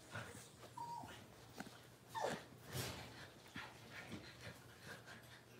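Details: Six-week-old blenheim Cavalier King Charles Spaniel puppies, a litter of five in an indoor puppy pen, give short high whines that slide downward, two main ones a second or so apart, over a soft hissing background.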